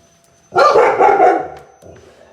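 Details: Two adopted dogs indoors barking at the sound of a vacuum cleaner: a loud burst of sharp, harsh barks in quick succession, with a steady mechanical hum behind.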